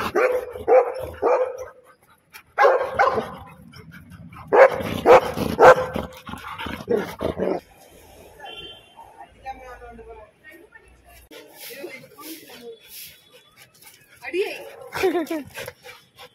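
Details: Two Labrador Retrievers, Mani and Maya, meeting for the first time: bursts of sharp barks and yips in the first six seconds, then quieter whining and short yelps, with human voices in between.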